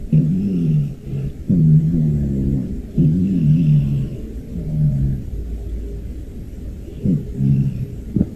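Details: A sleeping rescued brown tabby cat with an apparently blocked nose snores loudly: low, buzzy, nasal breaths with a faint whistling tone, each about a second long, repeating roughly every one and a half seconds, about six in all.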